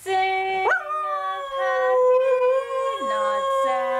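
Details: ["Merlin, an Aussie/Border Collie cross dog duetting with its owner, opens with a sharp upward yelp. It settles into a long, steady, slightly falling howl. The owner's voice drops to a low hum beneath."]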